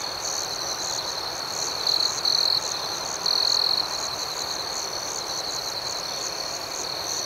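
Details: Crickets at night: a steady, high-pitched trilling chorus runs throughout, with louder bright bursts near two and three and a half seconds over a faint hiss of background noise.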